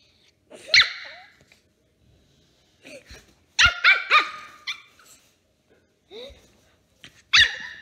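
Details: Pomeranian puppy, three months old, at play with a young girl: shrill, squeaky yips and barks in irregular bursts, some doubled or tripled in fast succession, a final sharp bark closing the sequence.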